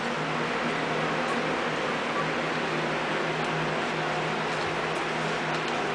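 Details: Steady broadband hiss like a fan or air conditioner fills a small indoor room, with a low hum and no clear animal voice.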